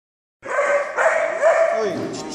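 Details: A Vizsla puppy on its first day at puppy school, very vocal, gives a sustained, high, wavering whine with slight rising and falling inflections.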